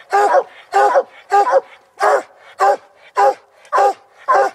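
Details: Hunting dogs Barcode and Ike baying at a tree after treeing a raccoon on a coon hunt: loud, hoarse, drawn-out barks repeated roughly twice a second in a steady rhythm, with no other sounds between them.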